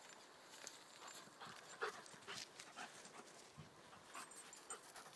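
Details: German Shepherd Odin, nine months old, playing with English Springer Spaniel puppy Mia, his first play with a puppy since leaving his siblings; breathy panting bursts and scuffling throughout, with one brief squeaky yip near the two-second mark.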